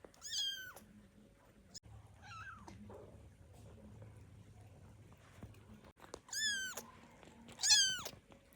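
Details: Hungry baby kittens just waking, calling for milk: high, thin mews with a quick downward bend, a cluster at the start and two more near the end, over quiet background rustling and a low hum.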